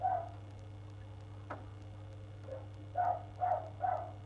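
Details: A neighbours' dog barking on 1 February, part of an hour-long bout that woke the listener: one short bark, a quiet gap, then three quick, muffled, mid-pitched barks about half a second apart over a steady low hum.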